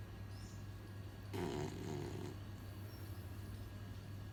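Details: Beagle named Coco snoring while asleep: a single rough, rasping breath lasting about a second rises out of a steady low electrical hum, with faint bird chirps in the background.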